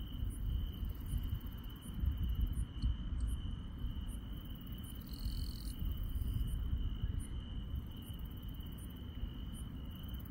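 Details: Countryside night chorus of grass insects: one even, sustained high trill runs without pause, topped by short, thin, very high chirps in loose repeats, with a low rumbling hum underneath.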